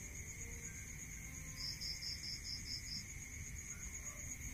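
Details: Crickets at night in a rural area: a quick train of about eight bright, pulsed chirps midway through, over a steady high-pitched ringing drone and a low background rumble.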